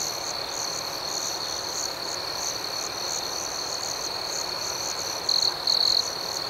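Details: Crickets at night in a calm outdoor setting: a steady high, shrill chorus with a faster pulsing layer above it, and two brief louder trills from a nearer cricket near the end.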